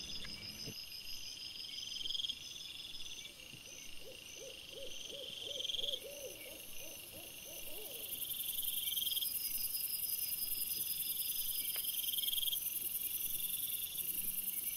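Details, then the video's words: Camera-trap recording of wild boar piglets, 26 August 2024: a string of about ten rapid arched squeaky notes rising and falling, lasting roughly four seconds, while loud shrill insects trill continuously in the background. "CINGHIALI cuccioli - puppies WILD BOAR"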